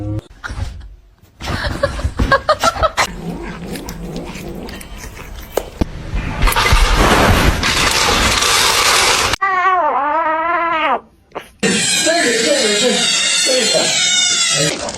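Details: Meowing kitten from a funny cat compilation, one long quavering cry bending up and down in pitch, heard after a stretch of loud rustling, hissy noise and clatter, with more broadband noise after it.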